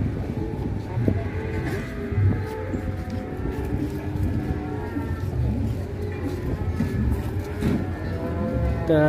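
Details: Cattle giving long, low moos that hold steady, repeated over several seconds amid a heavy low-frequency rumble, faint background music and occasional clatter.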